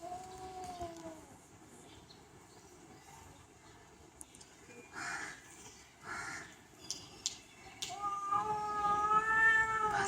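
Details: Pet cat with a short falling meow at the start, a quiet stretch with soft rustling bursts, then a clearer, steady, drawn-out meow building toward the end.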